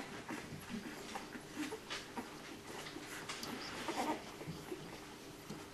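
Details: Puppies, nine in the litter, searching for milk: thin bleat-like whines and squeals come in a small cluster near the end, with soft rustling and suckling sounds throughout.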